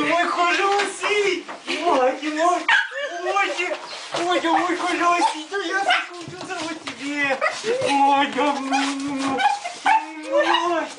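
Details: Several Husky dogs giving a long run of arched, wavering yowls and howl-like cries that rise and fall, overlapping and continuous, with short yips and whimpers between them, indoors.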